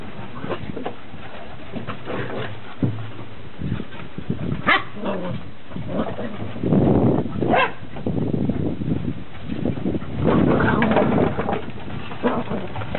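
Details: On day 69, beagle puppies romp on a deck for their first time outside, letting out occasional piercing yips and short squeals over steady scrabbling, bumping and low rumbling noise.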